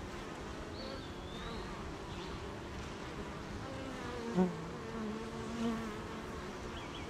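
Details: Honey bees at their hive on a rainy morning, in an area of gardens, farms and fields, give a continuous buzzy drone with shifting tones; a soft bird whistle and two short knocks are heard.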